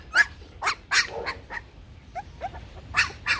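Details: Vietnamese Bac Ha dog of the shaggy type, kept by a breeding kennel: sharp, bright yaps in uneven bursts, then thinner whining notes and a few more loud yaps.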